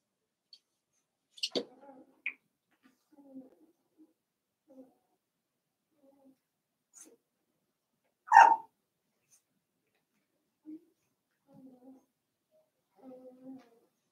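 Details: Cavalier King Charles Spaniel puppies, seven weeks old, in a home puppy pen: scattered soft whimpers and snuffles with long quiet gaps, plus one sharp, loud yelp near the middle.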